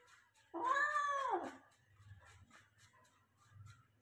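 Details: Persian cat being given a shower indoors; a single loud, drawn-out meow arches up then down over about one second, followed by faint softer sounds and a low intermittent rumble.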